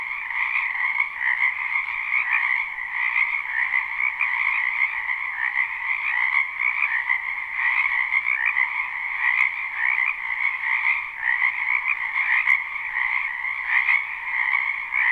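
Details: Spring wetland frog chorus, recorded live without looping: countless croaking frogs form an unbroken wall of fast, rattling trills, with a faint click or two and nothing else over the steady buzz.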